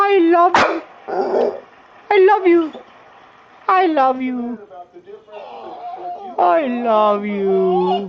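An American Pit Bull Terrier "talks" in drawn-out, bending yowls and whines, like a string of sung phrases.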